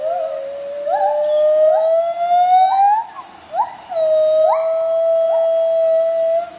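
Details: Morning duet of white-handed gibbons Bella and Dexter in the jungle: a long slowly rising pure tone overlaid by short upswept whoops from the partner, a brief pause, then another sustained whistle with rising notes.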